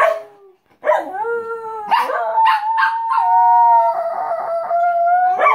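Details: Shetland Sheepdogs howling together at home: short yelping onsets, then several overlapping drawn-out tonal howls held steady with slight wavering, rising and sustained for about four seconds, one voice ending with a sharp yip.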